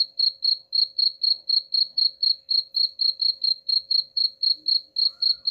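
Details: Cricket chirping, played as a sound to drive rats away: high, pure chirps in a steady train of about four per second, each with a slight pulse, over a faint constant low hum.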